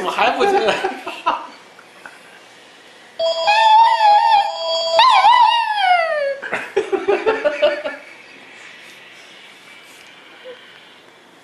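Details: A black-and-white Shih Tzu hears the phone ring and gives a drawn-out, wavering, cat-like meow over the steady electronic ringing tone.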